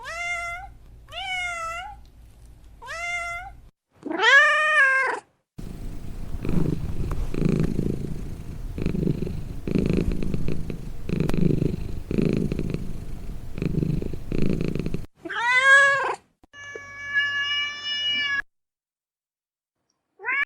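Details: Domestic cat with short rising mews at the start, then a long rhythmic rumbling purr of about ten seconds, followed by a loud meow and a steady drawn-out cry.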